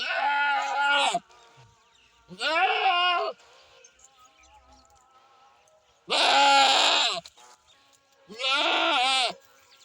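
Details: A goat gives four separate bleats, nasal and quavering with strong stacked harmonics, each around a second long, spaced by gaps of one to three seconds of near silence.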